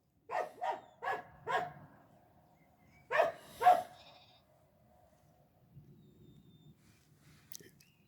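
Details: A Croatian Sheepdog named Medo, out herding as a working dog, lets out four quick barks, then after a pause two louder ones, before falling quiet with faint low background rumble.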